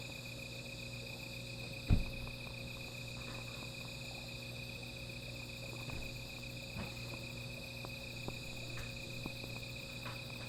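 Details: Insects trilling through the night near a small fire; a continuous pulsed high note persists with softer layered buzzing above, while a loud crack near two seconds and lighter pops punctuate a steady low hum.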